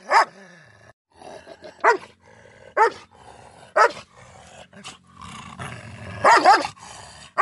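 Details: A Miniature Schnauzer, squaring off against a German Shepherd, gives sharp, harsh barks in separate bursts, a second or so apart.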